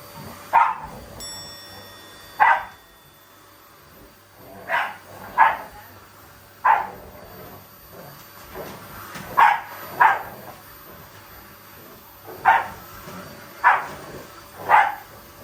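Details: Family Shiba Inu and a Labrador taking on a vacuum cleaner in playful battle mode, the Shiba not angry at all; about a dozen short sharp barks at irregular spacing, some in quick pairs, over a quiet indoor background.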